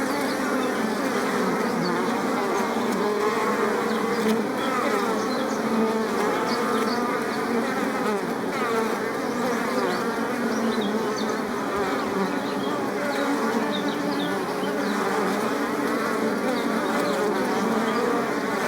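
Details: Flowers crowded with bees give a rich, even swarm drone, many wingbeat hums layered together and sustained at one level from start to finish.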